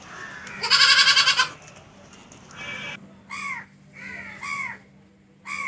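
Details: Goat gives one loud, trembling, pulsed bleat, followed by several shorter, fainter arched calls repeated about every half second.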